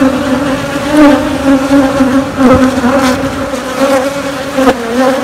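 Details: Honey bees in a queenless hive rearing queens, humming loudly and evenly on a low droning pitch with a second tone above, punctuated by a few short crackling knocks.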